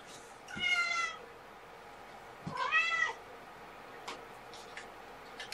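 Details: Young kitten from Seraphina's litter of four at Purrfect Pals, Washington, calling during a lunchtime handling session: two short bright meows about two seconds apart, the second rising then dipping, over faint room noise and small clicks.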